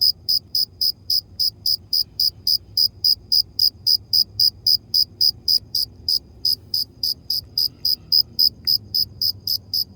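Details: A cricket gives a fast, even series of bright, high chirps, close to four every second, each a short crisp pulse, with only a soft low rumble behind.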